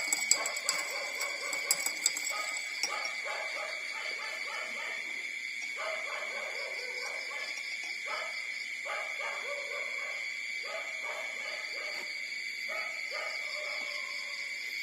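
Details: Four-day-old street puppies nursing from their mother give short, high squeaky whimpers in quick bursts, some with a brief gap between groups, over a steady high-pitched electronic-like whine and hiss.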